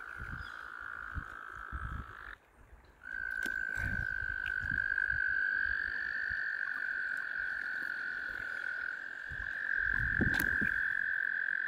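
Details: Mating frogs crowd around a kayak in large numbers; their chorus makes an unbroken, high, buzzing trill that drops out for a moment and then returns more strongly, with faint low knocks underneath.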